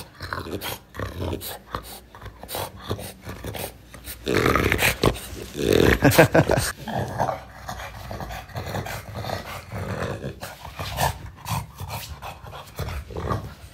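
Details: Male French Bulldog kept indoors, heard in a small room: low throaty growling and grumbling in uneven bursts, with short whiny harmonic notes in the middle, among clicks, knocks and household noises.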